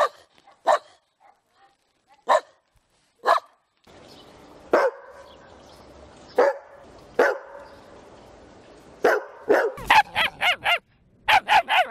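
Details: Dog barking in isolated sharp barks every one to two seconds, then bursts of rapid barks near the end, with a faint steady hum in the middle stretch.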